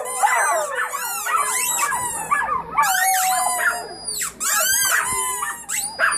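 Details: A litter of puppies howling together: dense overlapping high wavering howls and whimpering notes, strong chorus with brief dips in loudness between bursts.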